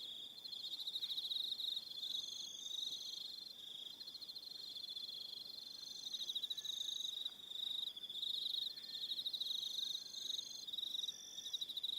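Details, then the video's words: On Aroha Island in New Zealand, an evening chorus of crickets: high, rapidly pulsed trilling held throughout, with shorter higher-pitched buzzy bursts repeating over the top. "1 Hour Relaxing Evening Sound of Crickets"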